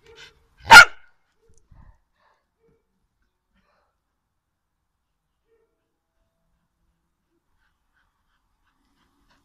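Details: Well-trained female dog barking on command while being taught to back up and count by barking; one short, sharp bark right at the start, followed by silence.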